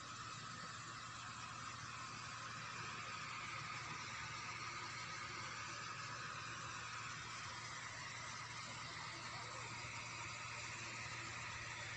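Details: Steady broadband traffic or engine rumble fills the whole stretch, with a constant hiss and no animal voice heard.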